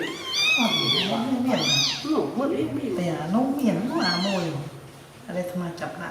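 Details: Newborn kittens sleeping together after feeding on milk give high, thin, arching mews, several in quick succession over the first four seconds and a fainter pair near the end, while a person talks softly nearby indoors.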